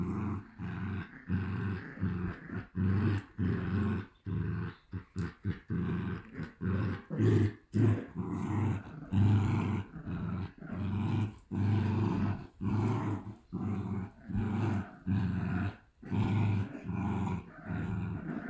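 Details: Two Shiba Inu puppies at a Shiba Inu and Samoyed breeder in the Netherlands growl like little running motors. Low rumbling growls come in short bursts separated by brief gaps, continuing steadily throughout.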